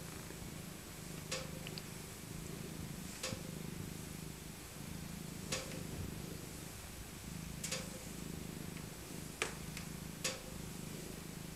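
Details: Maca, an aged female tabby cat rescued from a local park as a kitten, purrs while cuddled in her soft winter coat; steady low rumble broken by scattered sharp clicks every couple of seconds.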